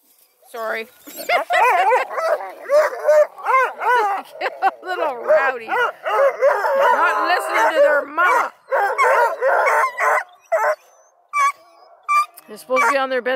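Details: Kennel hounds near Kingston, Ontario, Canada, a mix of Bluetick and Redbone Coonhounds and Black and tans, keep up a continuous chorus of wavering bawls and howls for about ten seconds, then scattered single cries.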